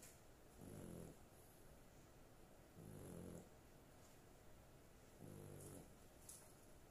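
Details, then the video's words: Dog sleeping soundly, snoring in steady low harmonic rumbles, three half-second snores roughly every two and a half seconds against soft room noise. "My dog snoring"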